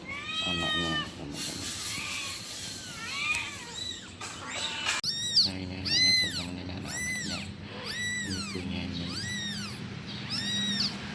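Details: Kitten calling its mother with a run of high, arched meows, first scattered and then repeated roughly once a second in the second half, each rising and falling in pitch, over low background rumble.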